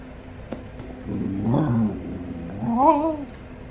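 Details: KK, an Alaskan Klee Kai, in a happy moment gives two drawn-out, wavering whining howls: a low warbling one, then a shorter, higher, rising-and-falling one, over a steady low hum.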